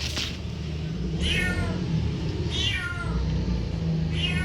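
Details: Cat giving three short meows spaced about 1.2 seconds apart, each a brief bright whining note, over a steady loud low hum and rumbling background noise.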